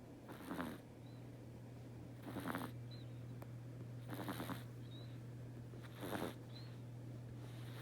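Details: Teto the pet cat sleeping and snoring indoors: hoarse, airy rasps come roughly every two seconds, four full breaths in succession, with a constant low mains hum underneath and faint faint squeaks between snores.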